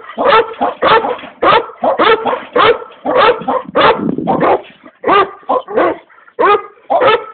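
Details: Komondor named Boci barking: a quick series of about a dozen harsh, mid-pitched barks, mostly single with some doubled, coming in uneven bursts with short silences between, and nothing else audible.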